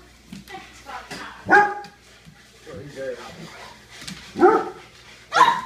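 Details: A Weimaraner and a pug playing give sharp, harmonic barks in short bursts, with quieter yips and human voices between them.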